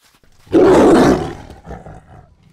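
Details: Angry lion: one loud, harsh roar lasting about a second, starting abruptly and fading into a low rumbling growl, with a short quieter grunt afterward.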